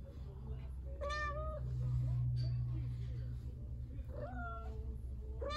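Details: Izzy, a Domestic Shorthair cat up for adoption, meows a few times: a clear rising-then-falling meow near the start, two more toward the end, over a low steady hum with faint human voices.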